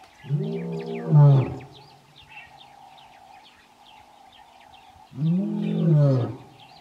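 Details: Lion in the Kgalagadi, recorded at Urikaruus in March 2018 while calling his coalition brothers; two deep, swelling roars ending in guttural grunts, with a continuous hum and scattered bird chirps in between.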